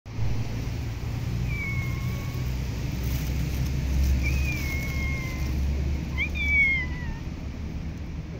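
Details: Street cats in an urban setting, filmed during cuddles and play: several thin, drawn-out meows, some rising then falling, spaced a few seconds apart, over steady low traffic rumble.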